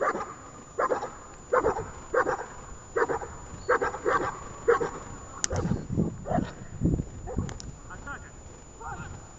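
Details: In Horlivka on 31 January 2021, Ajax the dog barks in training: a run of crisp barks in close pairs opens the recording, then human speech dominates with a few softer barks mixed in.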